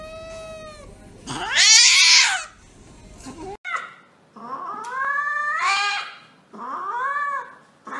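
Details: Cat crying out during an injection: harsh, strained yowls and caterwauls, one very loud screeching burst early, then several rising-falling wailing meows spaced about two seconds apart.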